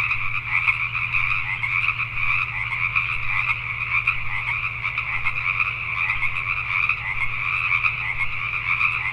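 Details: Pacific tree frogs at night in Richmond, British Columbia, Canada: an unceasing mass chorus of scratchy, pulsing croaks from numerous frogs, steady in loudness, with a low hum running beneath.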